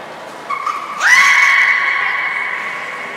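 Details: During beluga training at Port of Nagoya Public Aquarium on 7 October 2018, featuring Nana and Nico: a soft tone, then a swooping upward squeal held as a long, level, harmonic whistle that gradually fades.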